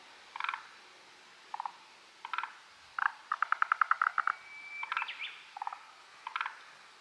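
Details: Chorus of hidden forest green tree frogs: scattered clusters of rapid pulsed croaks, one run of about ten quick knocks in a row, separated by brief silences in a quiet setting.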